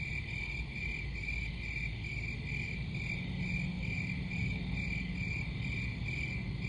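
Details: Crickets chirping in a steady, high-pitched pulsing chorus, short bursts repeating about once a second without pause, over a constant low rumbling background noise.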